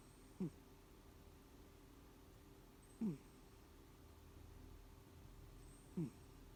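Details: Elim Garak, a housecat, snoring or wheezing: short, raspy, downward-sliding breaths that come roughly every three seconds, three of them heard over a quiet background.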